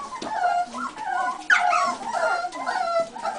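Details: Several buff American Cocker Spaniel puppies whimper and yip, high bending squeals overlapping in quick bursts, one sharper yelp near the middle.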